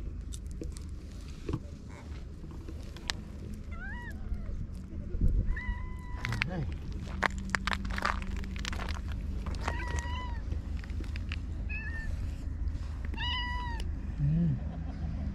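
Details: Stray cats in a Japanese park on a peaceful evening, a pink-named cat relaxing with a rascally trio; about five short arched meows spaced a few seconds apart, over low traffic rumble, clicks and people talking softly.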